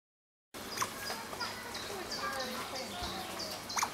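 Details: Asian small-clawed otters playing together with rocks on a peaceful afternoon, squealing with joy: a few short, high chirps and sharp sweeping squeaks scattered over a steady hiss, with a thin high-pitched background tone.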